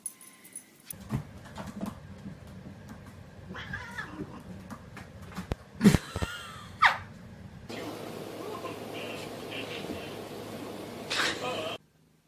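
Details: Domestic cat in a funny cat compilation, heard indoors giving short strained meows and a louder drawn-out yowl, mixed with thumps, rustling and household noise.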